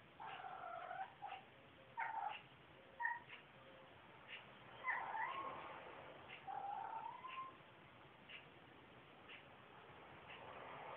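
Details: Boo Kitty, a pet cat, gives his morning meow as he climbs the stairs at home; squeaky-door-like wavering meows, mid-pitched and drawn out, several in a row with quiet gaps and faint clicks.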